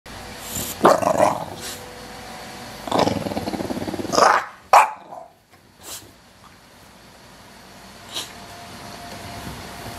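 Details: Two English Bulldogs, WanWan about two and a half years old and Fe just over two, recorded indoors: rough, growly bark-like vocal bursts near one and three seconds, a sharp yelp around four seconds, then short scattered noises over a steady hum.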